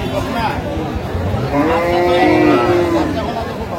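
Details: Improved-breed dairy cattle at Aftabganj market, Dinajpur, Bangladesh, 17 June 2025: one long, level moo swells in the second half amid a busy crowd murmur and men talking.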